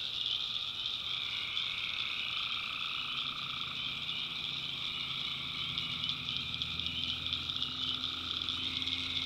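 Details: Night chorus of tree frogs in a North Carolina backwoods swamp, many callers merging into a continuous high, rasping drone with a middle voice fading in and out, over a faint low steady hum.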